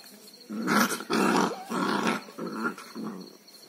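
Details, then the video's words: Street dog barking: about five harsh, rough, growly barks spaced roughly half a second apart, over a steady faint hum. "STREET DOG | BARKING"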